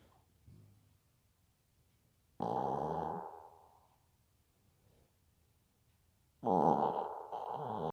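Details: Bibi the pet Maltese snoring in two separate rasping breaths about four seconds apart, each a throaty buzzing rattle, the second broken into two pulses, with quiet breathing between.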